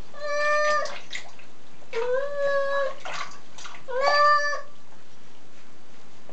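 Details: Dusty pet cat Jun protests during a bath, letting out three drawn-out meows about two seconds apart, the later ones dipping then rising, amid splashing water and handling noises indoors.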